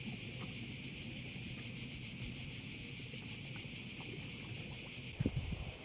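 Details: Many crickets calling over a bay at Korčula, an unbroken high-pitched buzzing wall of sound with a faint fluttering texture, while low background rumble and a brief thump near the end sit underneath.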